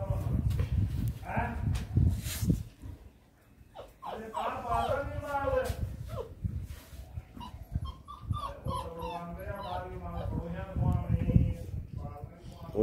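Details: Male Great Dane puppy at a Jaipur kennel on Ajmer Road, giving wavering, whiny high whimpers in drawn-out bouts, mixed with a person talking nearby and handling noise.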